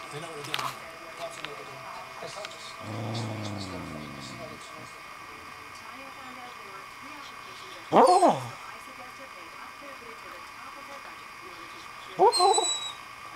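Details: Dolly, a female pet dog described as a loud sleeper, talking in her sleep: a low drawn-out moan, then two sharper, higher whimpering yelps several seconds apart over a steady indoor hum.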